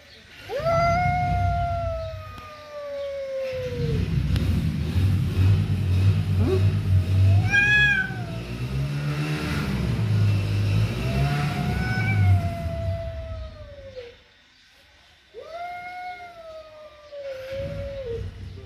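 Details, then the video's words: Cat mother and kitten in an angry standoff: repeated drawn-out wailing meows, each swelling then sinking at the end, with one wavering break. A steady low rumbling drone runs underneath throughout. "mother cat and kitten in agry sitiation"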